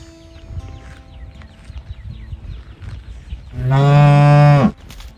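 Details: Calf calling for its mother: after several quiet seconds of faint background sound, one loud, low, richly harmonic moo rings out for about a second near the end, then stops abruptly.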